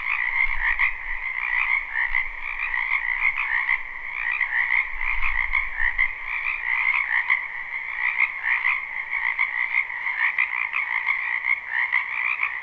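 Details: Live spring-wetland recording of a large frog chorus. Rapid rattling croaks blend into an unbroken shimmering wall of sound in two bands, with faint low rumbles near the first and fifth seconds.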